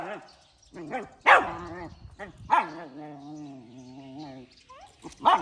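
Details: Puppy barking in the morning: sharp harmonic barks at about 1.3, 2.5 and 5.3 seconds, with a long falling whine between the second and third bark.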